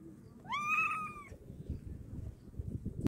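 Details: Single wounded cat giving one clear, slightly rising then falling meow under a second long, over a low rumbling background noise that ends with a sharp knock.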